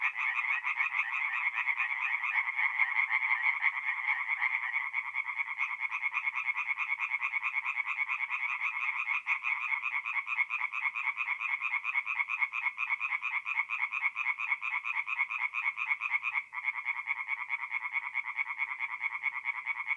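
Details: Singing tree frogs at a north-east Italian forest pond on an April night; a long unbroken chorus of rapid, rhythmic croaks from many frogs, the pulsing beat briefly dipping before resuming.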